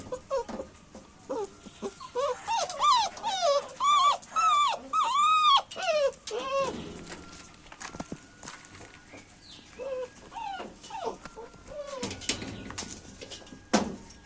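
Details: Pet dog whines repeatedly. A run of loud, tonal whines rises then falls, coming roughly every half second for several seconds. Quieter, shorter whines follow later, with a low background rumble.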